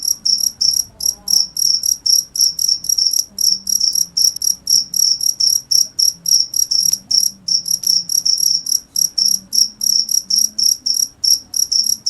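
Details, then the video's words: Long steady run of cricket chirps, sharp high pulses repeated around three times a second with occasional paired chirps, a quiet low hum behind. "cricket sound"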